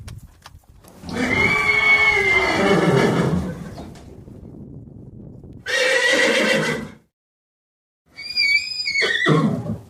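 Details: Horse whinnying, filmed with its foal while eating and galloping: a long, shaky, trembling neigh, then a shorter burst, then a final high, wavering whinny that breaks off sharply after a brief silence.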